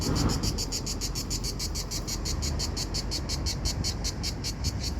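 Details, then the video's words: Cicadas in Italy on a hot summer day of about 40°C. A shrill, high buzz pulses about five times a second without a break, over low rumbling background noise. "Cicada Buzzing Sound - Italy"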